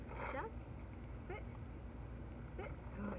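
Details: Six-month-old female German Shepherd in obedience training gives three short whining cries, each a curved, harmonic rise and fall, spaced roughly every 1.3 seconds, with a man talking and a steady low background hum.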